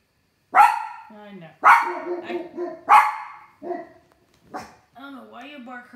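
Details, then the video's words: Late summer night, a dog on the deck barks at something while a second dog indoors joins in; three loud barks roughly a second apart, then softer yips and a person talking. "Late night barking"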